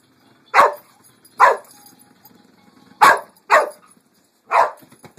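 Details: Pet dog barking at a pink pig bumble ball toy: five short, sharp barks, the first two about a second apart, then three more closer together, in a quiet room.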